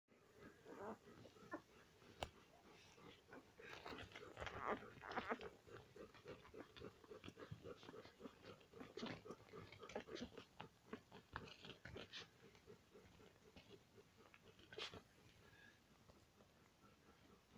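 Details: Five-day-old Alaskan Malamute puppies indoors, giving scattered short squeaks and grunts, with a louder burst of squealing near the middle, over constant soft clicking and shuffling.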